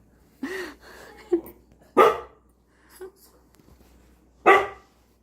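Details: House dog reacting to cooking rice with a short rising-falling whine, soft yips, then two loud, rough barks about two and a half seconds apart, over a low steady hum.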